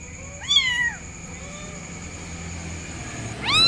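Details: A kitten calls for its mother with one short, high descending meow early on, then quiet with a steady tonal hum, and the start of another meow cut off at the end.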